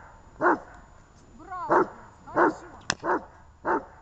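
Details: Gosha and Gesha's dog barking, 23 December 2018: five spaced barks, one preceded by a rising whine, with a sharp click between the last barks.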